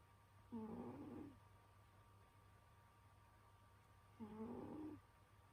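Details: Sleeping through winter, the pet cat Senyora Betsy snores twice, about three and a half seconds apart, each snore a short raspy hum with a thin rising whine, low electrical drone in the room.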